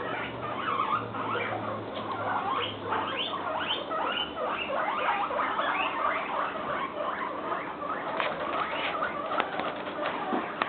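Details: Guinea pig (Cavia porcellus), squeals.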